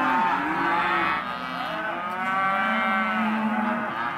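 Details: Hereford and black-faced crossbred calves at an auction lot, a crowded chorus of overlapping drawn-out moos and bawls, one long level call standing out near the end.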